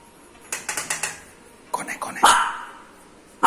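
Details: Lhasa Apso dog barking in reaction to the doorbell, a quick burst of four or five short yaps, then a louder volley of harsher barks, ending with one more abrupt bark; faint voices underneath.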